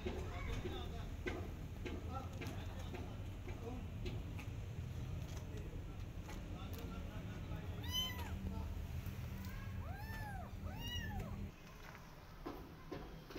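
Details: A Persian cat and her adopted kittens out in a garden, watching rabbits; background rumble and faint voices, then a clear run of arched, rising-falling meows around the middle and latter half.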